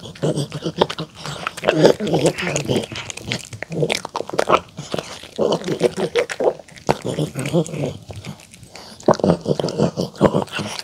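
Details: A poodle eating homemade chicken tenders with apple, carrot and cabbage salad dressed with pumpkin, egg and olive oil, chewing and crunching with wet, clicking bites close up.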